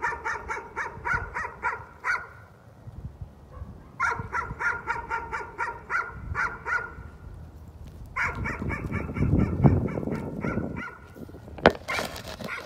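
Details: Dog caught in another bout of nuisance barking: rapid runs of sharp barks, about three per second, in two bursts with a pause between, then a louder rustling, rumbling noise over scattered barks near the end.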